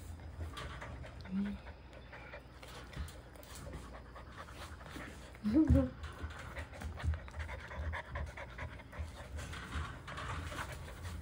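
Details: Goldendoodle puppy brothers born on July 1 panting in quick, breathy rhythmic bursts, with soft human voices and a brief whimper-like squeak near the middle.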